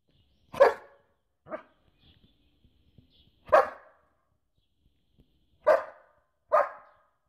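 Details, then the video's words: German Shepherd barking in a compilation of barking and howling dogs: five sharp, separate barks spaced about one to two seconds apart, some louder than others, with quiet gaps and faint background sounds between them. "GERMAN SHEPHERD BARKING - GERMAN SHEPHERD HOWLING AND BARKING COMPILATION 2016"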